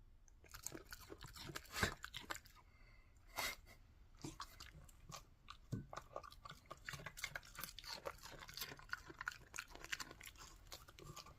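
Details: Pet dog crunching a carrot indoors, close up: irregular dry crunches and bites, some sharp loud snaps near the start, then a denser run of small crisp crunches in a quiet small room.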